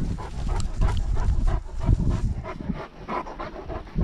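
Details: Close, heavy panting from Great Danes on a lockdown walk, captured by a GoPro dogcam, rapid breaths at roughly three per second over a dull, low rumble of footsteps and handling.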